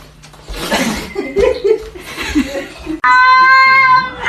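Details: Kitten meowing: after three seconds of laughter and chatter from people, one clear, tonal, slightly wavering meow sustained for over a second.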